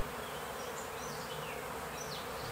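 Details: On a fine April day in fields and heath near Fröndenberg, a honey bee swarm clustered around its queen after leaving its hive overnight gives a dense, steady, unbroken hum with faint high chirps; the bees are not aggressive.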